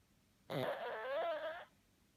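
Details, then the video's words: One rough, wobbling snore from a sleeping pug, just over a second long, with a buzzy start and a slightly rising and falling nasal tone, in a quiet indoor setting. "Pug snores"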